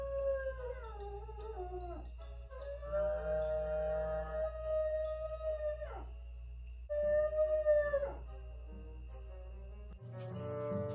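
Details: French Bulldog, a female left alone in the house, howls repeatedly: long sustained notes that waver and slide downward at their ends, with short breaks between, over a constant low hum.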